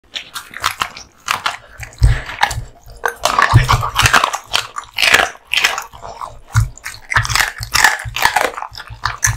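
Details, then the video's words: American Bully dog eating raw duck meat and bones: loud, wet crunching and biting in uneven bursts, sharp cracks of bone between softer gnawing, close and clear with no other sounds. "Dog eating Raw Duck Meats ＆ bones 【American Bully】"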